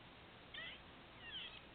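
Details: Hiccup-like sounds from a squirrel near a patio: a pair of short, high, raspy squeaks less than a second apart, each with a slight falling slide, against quiet background hiss.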